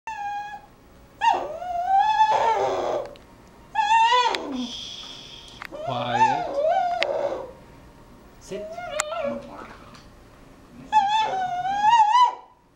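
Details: Pet dog begging for his special blue toy indoors, giving long high-pitched whines that waver and bend, some rising into squeaky cries, in bursts of a few seconds separated by short quiet pauses.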